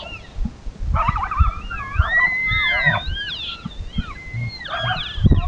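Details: An elk herd bugles as darkness falls: high, squealing whistles that rise and fall, with several voices overlapping.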